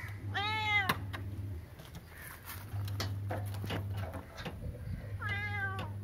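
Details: Meows from a cat described as a jail-breaking genius: one clear wavering meow near the start and another near the end. Scattered knocks and clatter fill the gap, with a continuous low hum underneath.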